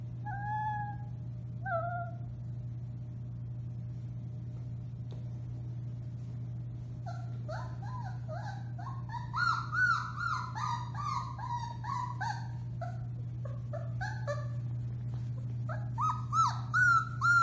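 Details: Litter of 4-week-old Alaskan Malamute puppies, March 30, 2021, howling: two thin drawn-out cries open, then after a pause many pups join in layered, quavering high howls and yips, with a constant low electrical hum beneath.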